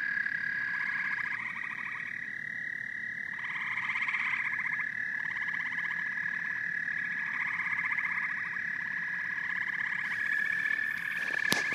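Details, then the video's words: Chorus of frogs and toads: bursts of rapid pulsed trills start and stop every second or two over a constant shrill drone. A sharp click sounds near the end. "Frogs and Toads Symphony"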